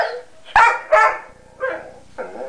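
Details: Sombra, a dog who hates to share, cries over his guarded chewy: two loud, sharp yelps, then two softer whining barks, in a small indoor room.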